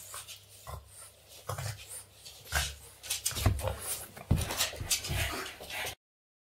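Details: Boston Terrier named Yoda playing with a man's hands indoors, giving short broken whimpers and yips in uneven bursts about once a second, mixed with scuffling and rustling of hands and body.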